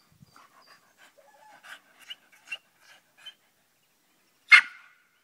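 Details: Staffordshire Bull Terrier, an English staffie, playing with its mother: a string of soft, thin whining squeaks and short yips, then a single sharp, loud bark near the end.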